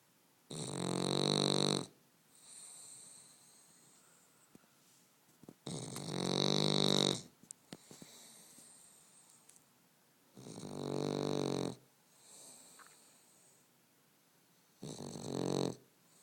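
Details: Sleeping Boston Terrier snoring indoors: four long, loud rasping inhalations of about one to two seconds each, spaced roughly four seconds apart, with quieter wheezy breaths between them.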